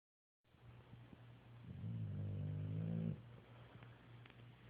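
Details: Three dogs asleep and snoring; one loud, low, droning snore with a buzzy harmonic rattle swells for about a second and a half, then fades into a faint steady hum.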